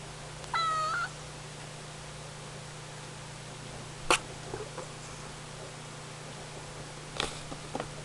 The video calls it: Cleo the Ragdoll cat meowing